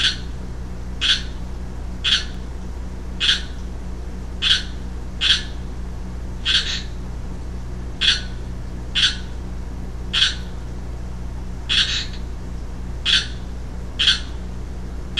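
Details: A young male Pacific chorus frog, recorded 15 March 2012, gives brief, harsh, raspy croaks at a steady pace of roughly one per second over a constant low hum.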